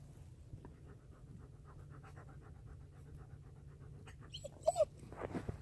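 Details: Dog panting on a midnight hike through the Mississippi River valley in a heavy February snowstorm, alongside German Shepherd Lobo and Blue Bay Shepherd Kurgan; quick, steady, breathy puffs, then a short louder snuffle and rustling near the end.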